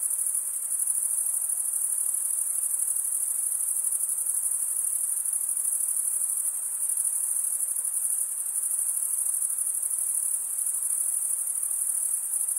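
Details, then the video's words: Crickets, chiefly males, chirping through wing stridulation. An unbroken high, shrill trill runs for the whole stretch with a faint rapid pulse and small swells in loudness, no other sounds. "Most relaxing cricket sound"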